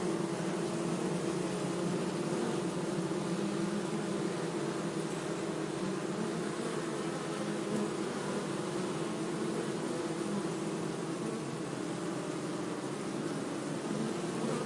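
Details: Continuous low droning hum of bees, dense and unbroken for the whole stretch, with stacked tonal bands and a faint hiss above.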